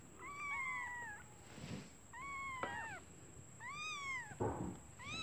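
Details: Newborn kittens calling for their mother, who has gone out to find food, because they are hungry: high thin arched mews, each about a second long, repeated roughly every one to two seconds, over a constant high electrical whine and soft thumps.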